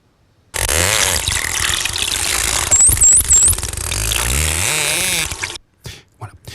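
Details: An underwater recording with a favourable signal-to-noise ratio: a dolphin gives high, looping whistles, rising and falling in quick succession, over dense clicking and hiss.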